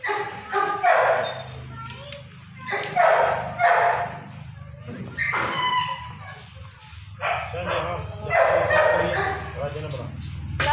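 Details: Labrador dogs kept at Raja Land Kennel in Ambala Cantt, Haryana, India, bark continuously in overlapping rapid runs, some barks higher and yelping, over a steady low hum.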